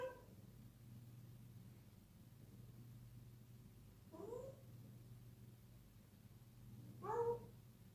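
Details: Wisky, a six-month-old kitten, playing indoors at night and not wanting to sleep, gives two short rising-falling meows about three seconds apart over a steady low electrical hum.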